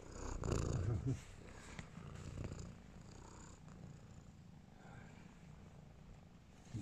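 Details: Domestic cat purring in a steady low rumbling pulse. A louder burst of handling noise comes near the start, and a woman speaks softly in Bulgarian in the background.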